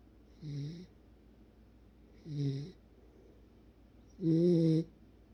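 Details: Welsh Corgi dead to the world, snoring steadily: three low, vibrating snores about every two seconds, the last one louder and longer with a strong rattling buzz.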